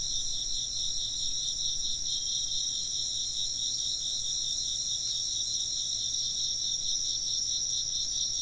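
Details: A continuous chorus of chirping insects, their high rapid pulses stacked in bright bands and holding an even level throughout, with no other clear sounds.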